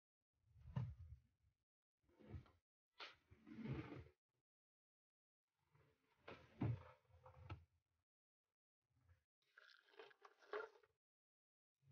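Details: Trappy, a French Bulldog at home indoors, lets out low, rough grumbling and snorting bursts in irregular clusters, roughly six over twelve seconds, separated by quiet gaps, with faint room noise.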